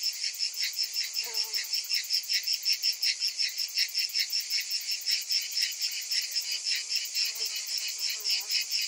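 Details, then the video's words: Cicadas calling together on a hot summer afternoon: a dense, high, shimmering buzz pulsing roughly twice a second without pause, with a few faint, brief lower chirps near the start and end. "Cicadas in Summer"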